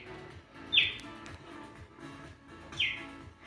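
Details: Cheetah giving its bird-like chirp, a call mothers use to get their cubs' attention: two brief, high, descending chirps about two seconds apart over soft background music.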